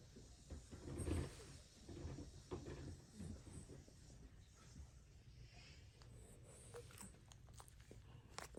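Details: Sixteen-year-old pet dog named Milk sleeping deeply and snoring heavily: low, rough rumbling snores rise and fall, loudest early on, then continue as quieter, steady breathing rasps.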